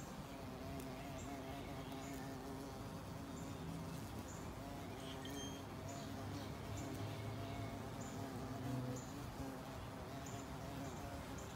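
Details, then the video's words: Carpenter bee in flight, investigating the area around a carpenter bee trap: a low, steady droning buzz runs throughout, its pitch wavering as the bee moves about, with faint, regularly repeated high chirps in the background. "Flight of the Carpenter Bee"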